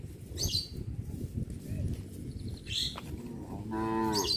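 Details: Cows walking along a village road to the livestock pen in the afternoon moo with deep, drawn-out, harmonic-rich calls over a steady shuffle of hooves.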